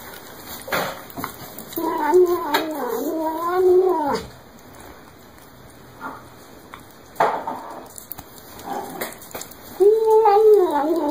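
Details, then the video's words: Cat mewing while it eats, with repeated wavering, up-and-down meows in a cluster, a quieter stretch with clicks and a constant background hum, then a final sustained meow. "面白い猫と子猫を食べながら鳴きながらYUM YUM YUMを言って"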